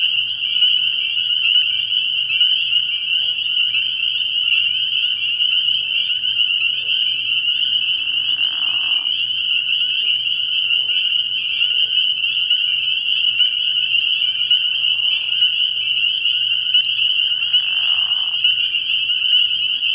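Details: Night chorus of numerous spring peepers at a frog pond early in the year: relentless shrill high peeping throughout, broken underneath by a few short, lower rasping sounds.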